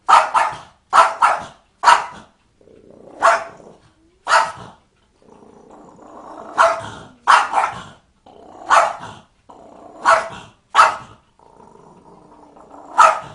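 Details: Barking dog, later frightened by a cat: a long run of sharp, harsh barks in irregular bursts of two or three, with low rumbling growl-like noise between them.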